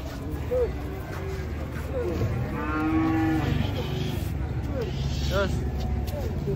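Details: Cattle being unloaded from a truck, some stumbling as they come down: a low, drawn-out moo swells in the middle with a rich harmonic stack, over a steady rumbling engine hum and scattered shouting voices.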